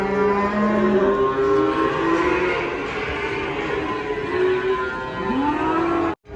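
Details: Several cattle unloaded from a truck low continuously, with long overlapping moos at steady pitch, one ending in a rising sweep, against a dense, noisy background.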